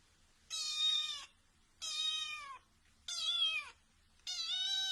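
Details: A kitten meowing four times at a steady pace, each meow high and slightly falling, about a second long, with quiet pauses between.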